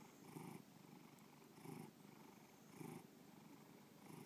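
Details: Bubba, a pet cat, purrs in a soft, grainy rumble, louder pulses arriving about every 1.2 seconds as breathing cycles in and out, three clear swells and a fourth starting, nothing else audible indoors.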